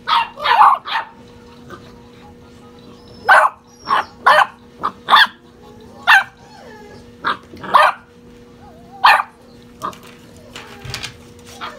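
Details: Six-and-a-half-week-old puppies on a playful tear bark and yip in sharp, separate bursts roughly every second, some shrill and whiny, over a constant faint background hum.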